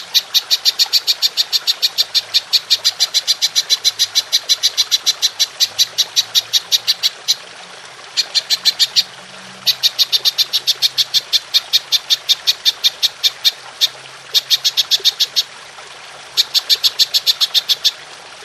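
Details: Long-firing golden grasshopper recorded as tutoring audio for songbirds: extended runs of rapid, crisp, high-pitched clicking that keep going for several seconds, broken only by brief silent pauses.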